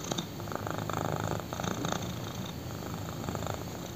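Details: Black kitten purrs while lying on a thigh; close, throaty rumbling purr with rhythmic breathing surges, louder in the first two seconds then steady.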